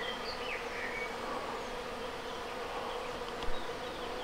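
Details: Honey bees of a natural swarm being hived into a reed-and-wood log hive at the Villa le Bosquet teaching apiary: a steady droning hum with a low buzzing band, a few thin bird chirps above.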